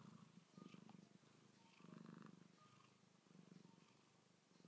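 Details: Manchitas and Sacha, two fuzzy house cats, waking from sleep; soft low purring rises and fades in three swelling waves over a hissy background.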